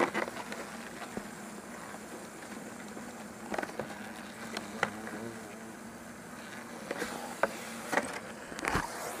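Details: European hornets, taken from a large nest built in a rest hut at a facility in Azuchi, Omihachiman, Shiga, Japan, pile up in an insect net during removal. A low steady hum with wavering buzzy tones, broken by sharp clicks and knocks.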